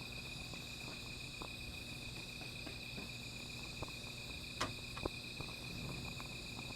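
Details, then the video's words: Insects at night, heard near a small fire: an unbroken, thin, high ringing tone carries on without pause, while the fire adds irregular clicks and one loud snap midway. "Sound of Insects"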